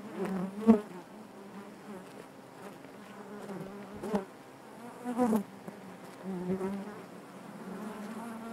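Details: Inside a honey bee hive, a continuous low droning hum with harmonic overtones, rising briefly as bees fly near and broken by a few short tapping sounds.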